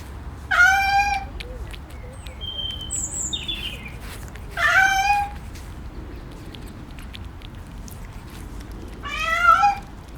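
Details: A cat gives three loud, drawn-out meows, spaced about four seconds apart, each with a slightly falling, strongly harmonic tone. Faint high chirps, possibly from birds, sound in the quiet background between them.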